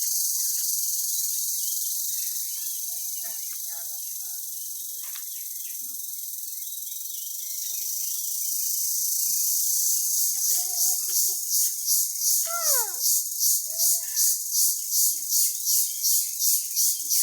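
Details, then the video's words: Small crickets found in a village call very loudly. A steady high-pitched hiss runs for about ten seconds, then breaks into sharp regular pulses roughly three per second, with a brief faint chirp midway. "ছোটো ছোটো পোকা, অনেক শক্তে ডাক দেয়, শুনেন।"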